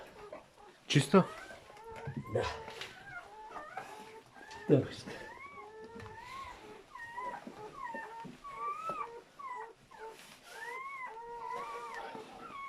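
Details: Newborn German Shepherd puppies from a litter of seven, heard during their mother's labour and delivery: overlapping high, wavering squeaks and whines, some rising then falling, with a few loud thumps and brief human voices indoors.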